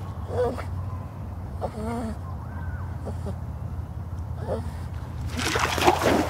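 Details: A Boston Terrier that loves swimming whines in short, high, wavering bursts, pleading for his float toy to be thrown into the water.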